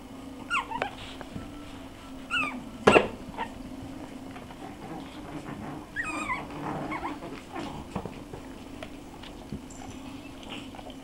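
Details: Puppies Bekky and Barik, six weeks old, recorded 14.01.13, make thin wavering whines and short squeals that rise and fall, scattered across the recording, with one sharp loud click and a constant low background hum.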